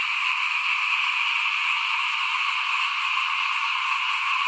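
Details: Dense frog chorus in front of a house during rice sowing in 2021, a steady unbroken trilling wall of many overlapping callers with a bright, high shimmering tone and no pauses.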